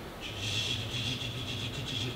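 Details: A periodical cicada (Magicicada) recording, played during a talk at Fontenelle Forest, Bellevue, Nebraska, on June 7, 2015, gives a steady, high, lispy buzz over a low room hum.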